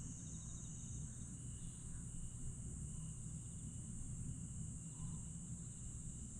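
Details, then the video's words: Summer-night grass insects at Aewol, Jeju, 22 July 2022: a thin constant high whine with rhythmic trill bursts and a few faint mid-pitched notes, over a rumbling background. "천개의 달과 풀벌레 소리"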